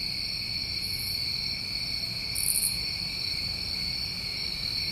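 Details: Summertime crickets recorded in New England, a constant high-pitched ringing drone layered over a lower steady hum, with two brief louder higher chirp bursts.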